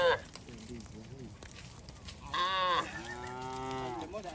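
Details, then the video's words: Road-roaming cattle herd: a brief low lowing, then a loud moo cut off after half a second, followed by a long, steady, deep moo that holds its pitch to the end. "Rombongan sapi berkeliaran di jalan suara sapi bunyi"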